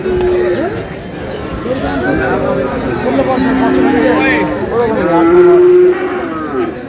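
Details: At Aftabganj market in Dinajpur on 29 July, Friesian and cross bull calves low repeatedly. Brief wavering moos mix with loud human chatter, ending in a steadier sustained moo near the close.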